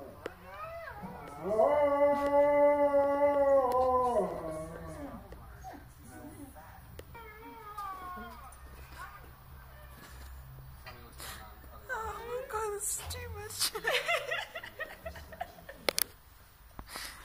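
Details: Zeus, a dog, 'speaking whale': a long, level, tonal howl held for about three seconds, followed by softer wavering vocal sounds, with human speech and laughter in the background through the latter half.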